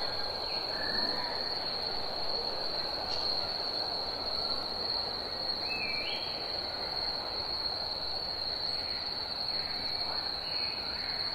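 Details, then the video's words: Cicadas singing in summer, a steady unbroken high-pitched drone held at one pitch throughout, over a hissing wash of background noise, with a few brief rising whistled notes from another animal in the middle. "Cicadas Chirping & Singing"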